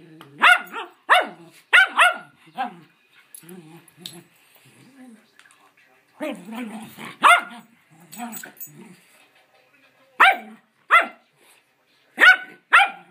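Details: Playful rescue schnauzers at home, high yappy barks in pairs and triplets separated by quieter stretches where a person speaks to the dogs.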